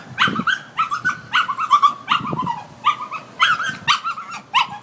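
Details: Distressed little dog tied up outside while its people are indoors, 'singing' a woeful song: a steady run of high, quavering whines and yelps, several per second, each bending slightly upward, with faint low noise beneath.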